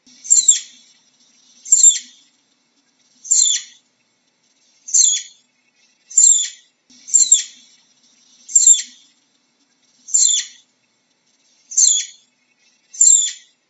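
A flying squirrel gives high, squeaky chirps, repeated steadily about every second and a half.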